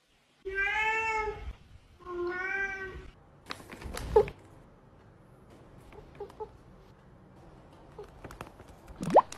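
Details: Domestic cat giving two long, drawn-out harmonic meows, each about a second, with a slight wavering pitch, followed by clattering knocks and soft thumps, then a short squeak at the end.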